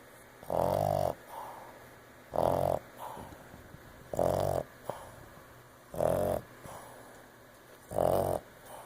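A Boston Terrier snores in loud, rasping bursts roughly every two seconds.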